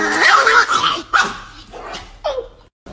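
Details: Chihuahua named Niki, a pet dog, giving a few sharp barks and yelps in quick bursts, ending with a short falling whine, with silence between the calls.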